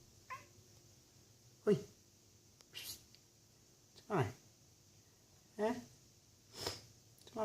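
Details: A Bengal kitten gives short, strained meows and chirps while looking outside from a conservatory, with a person talking to it between calls.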